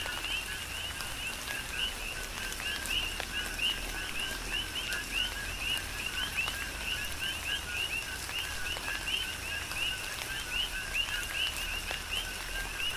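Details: Chorus of coqui frogs during tropical rain on Hawaii's Big Island: many overlapping brief rising chirps repeated continuously, with constant patter of raindrops and scattered louder drips.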